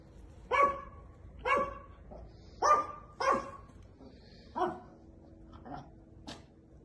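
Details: Female Chihuahua puppies, eight months old, offered for sale in Monza, giving single shrill yaps spaced about a second apart, six or seven in all, fading to quieter yips toward the end.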